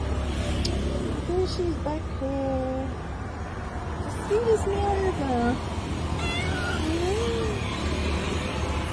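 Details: Stray street cat at night, talking and meowing to ask for food: several short, wavering, drawn-out mews, some rising then falling, mixed with a person's speech over a low steady hum.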